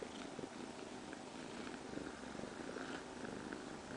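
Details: Domestic cat, a young female with her surrogate mother, purring steadily and softly throughout, a continuous low rumbling texture with faint clicks over quiet indoor background.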